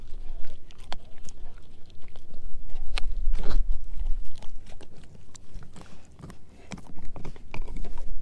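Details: German Shepherd mix Edu eating a dehydrated pig ear dog chew; strong crunching bites nearly twice a second, loudest around the middle, with deep thuds beneath the cracks.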